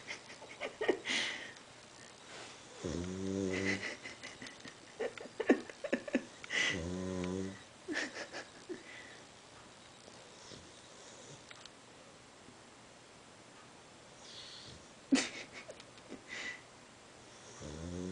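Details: Lola, a pet dog, snoring while asleep: two loud rasping low-pitched snores with striped layered bursts near three and seven seconds, between quieter wheezy breaths and soft snuffles, in a quiet room.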